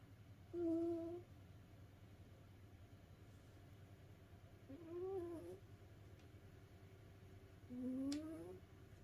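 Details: Snoring of a domestic cat tired after playing, asleep indoors: three squeaky tonal breaths, some flat and some gliding upward, spaced roughly four seconds apart against a quiet room hum.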